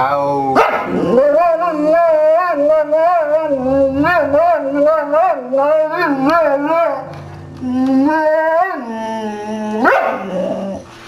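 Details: A rescue Boxer dog with uncropped ears "sings", howling in a long, wavering, sing-song voice that rises and falls with quivering pitch.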